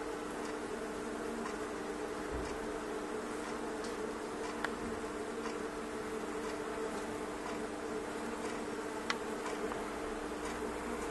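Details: Thousands of honey bees swarming inside a fireplace stove, indoors: a dense, steady droning buzz with a constant low hum, broken by scattered sharp ticks and clicks.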